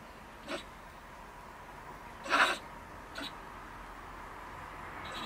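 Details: A female stone marten living in a woodpile by a shed in Germany rants angrily at about 10 pm when a person returns. She gives a few short, harsh, hissing screeches, spaced irregularly against a quiet background hiss.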